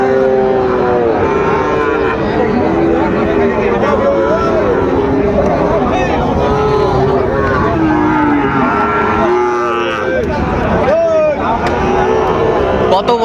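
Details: Sahiwal bull calves being bought and sold at the Ambari market, Dinajpur, Bangladesh, 12 September 2025; several drawn-out, wavering moos overlap amid a dense hum of people talking and market bustle, with a few sharper knocks near the end.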